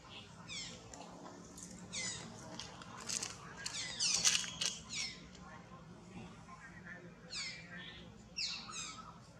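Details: Baby monkey Jason with his protective mother, giving short, high, downward-sweeping squeaks in quick pairs, first near the start and again near the end, while people talk in Vietnamese in the background.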